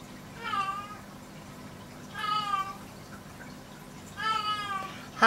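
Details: Domestic cat relaxing under a kitchen sink while it is being cleaned, giving three soft, slightly falling meows about two seconds apart, each drawn out for roughly half a second, with a faint low hum behind and a click at the end.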